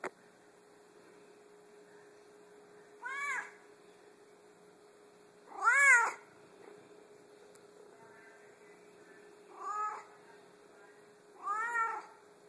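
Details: Very vocal pet Savannah cat giving four short, rising-and-falling meows spread over twelve seconds, the second loudest, separated by long quiet gaps with a constant low hum underneath.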